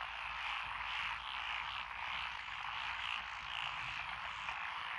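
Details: Dense chorus of frogs in lotus rice fields along a rural road in Echizen, Fukui, Japan, on 12 June 2021; overlapping croaks swell and fade in waves with no clear gaps.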